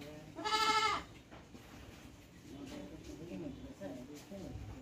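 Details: Goat giving one loud, strongly harmonic bleat lasting about half a second, followed by several seconds of quiet background murmur.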